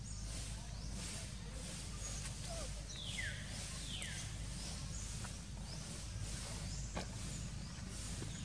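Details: Young monkey Sok cries from hunger, begging for food: two loud, high cries that slide steeply downward, heard against dense broadband outdoor noise and a low constant hum.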